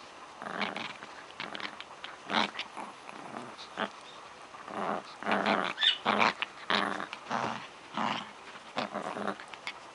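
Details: Pet dog at play with a toy, giving short gravelly growls in quick uneven bursts, roughly one or two per second, louder in the middle stretch, indoors with little other sound.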